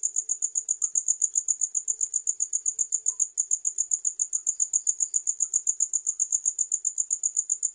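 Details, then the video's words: A single cricket voice, shrill and pulsing at about four beats per second, holds a regular rhythm with one brief skip partway through. "The Most Effective Sound of Crickets to Repel Loud Rats"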